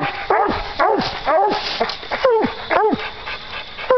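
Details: Two coon hunting dogs, Duke and JR, barking up a tree after treeing a raccoon; loud, bowed, yelping barks come in quick irregular bursts, about two a second.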